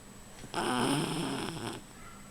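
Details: Rufus, a sleeping dog, snores in one long rasping breath of about a second, with a steady hum in the background.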